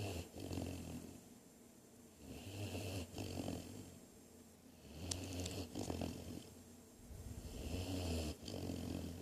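A Great Dane puppy snores in low, rumbling rasps, each breath rising and falling in steady cycles.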